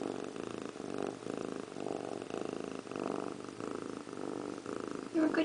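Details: Indiana Piano Rabbit, a pet cat, sits in a bathroom sink grooming itself, purring steadily in a low rumbling pulse throughout, with a brief high chirp right at the end.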